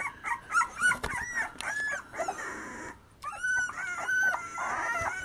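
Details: Terriers, Black Terriers and Irish Soft Coated Wheaten Terriers, giving a jumble of short high whines and yips that overlap and break off, with a brief quiet gap near the middle before the whining resumes.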